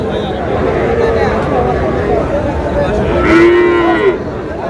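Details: At the Raniganj cattle market, Dinajpur, where Friesian and cross-breed bull calves are sold, a short flat moo sounds late in the moment, set against busy crowd chatter and bargaining voices.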